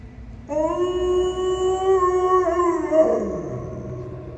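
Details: Pet dog Kani gives a single long howl: a steady, rich, tonal note held about two and a half seconds with slight wavering, then sliding downward in pitch and trailing off, with quiet background noise.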